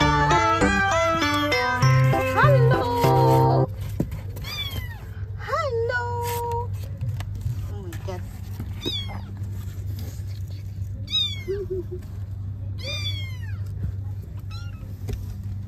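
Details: Scottish Fold mother cat wanting to take her kittens: after a few seconds of music, a string of short, high, down-bending meows, some in quick runs, over a steady low hum with a person speaking.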